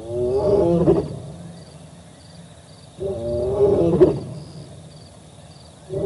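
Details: Roars of a male lion carry across the Olifants River, recorded by a live camera on 4 October 2020. Two moaning roar bouts, each ending in a short grunt, come about three seconds apart over a faint steady background hum.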